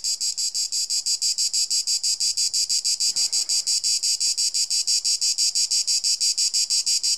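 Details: A Cicada orni cicada sings a loud, high, rasping buzz, pulsing steadily several times a second, its sound modulated at 240 Hz with vibrations around 4.3 kHz.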